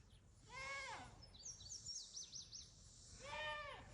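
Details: Reesie, a goat at a farm animal rescue, yelling: two loud, wavering bleats with a falling tail, one near the start and one near the end, separated by high chirping bird calls.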